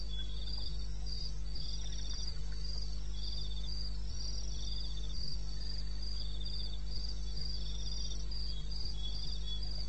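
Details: Night chorus of crickets in the eastern Botswana wilderness, 2:30 a.m., 21 May: high pulsed chirps repeat in regular bursts from at least two callers, with occasional soft knocks and a continuous low hum.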